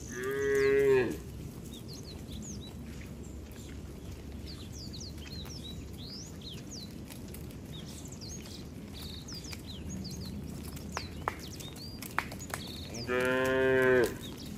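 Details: Cattle herded toward the farm barn on a slippery wet road in the rainy season; two harmonic moos, one at the start and one near the end, separated by a quiet stretch filled with chirping birds.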